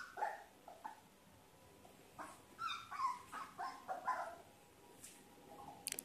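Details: Labrador Retriever pup, one month old, playing with yellow slippers on his first day with new owners: a series of short, high yips and squeaky whimpers, irregular and spaced through the clip, ending with a faint click.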